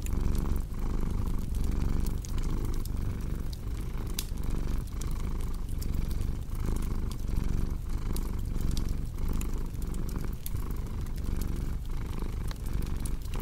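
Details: Domestic cat purring steadily, a low rumbling drone that swells and fades in breaths about every 0.7 seconds, mixed with the sharp pops and crackles of a cozy fireplace, recorded indoors for relaxation and sleep.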